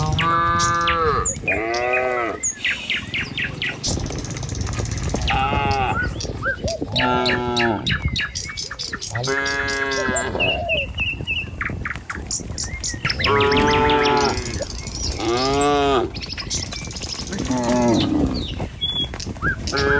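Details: Tame village cattle herd in the morning, walking a village road toward the pen, lowing repeatedly: long harmonic moos, some rising then falling, every two to three seconds, with busy bird chirps throughout.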